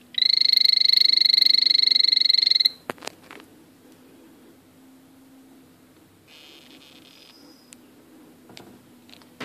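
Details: Male blue poison dart frog (azureus) calling: a rapid buzzy trill of quick high pulses lasting under three seconds, then near silence with a few faint clicks and a soft high hiss.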